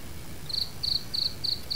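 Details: Cricket calling near a city house with many gardens around, giving brief, high, buzzy chirps about three per second over a quiet background.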